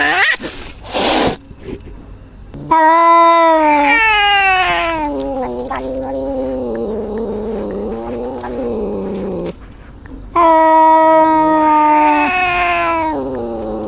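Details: Short noisy bursts lead into a cat's steady, low, moaning caterwaul that holds and wavers for several seconds, dips quieter, then returns as another long, even wail.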